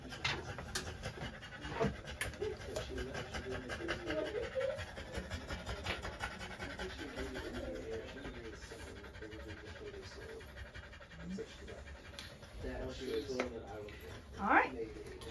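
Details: Female French Bulldog panting during trans-cervical insemination, a scope-guided form of artificial insemination; fast, breathy, irregular panting bursts run throughout, with quiet human voices and occasional sharp clicks and handling noises.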